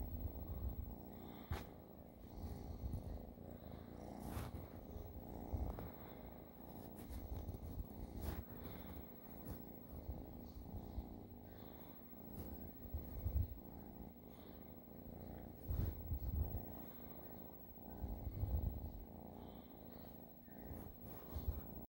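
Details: Long, continuous low purring from a cat, rising and falling in loudness every couple of seconds, with occasional faint clicks and handling noises throughout.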